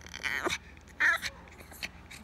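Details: Pomeranian dog giving short, high, nasal whining yelps in two main bursts about half a second apart, then a few fainter squeaks, over a quiet background.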